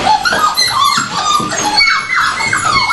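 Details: Several hungry dogs at feeding time indoors, whining and yipping in a busy overlapping chorus of high, falling cries, with a person talking in Finnish.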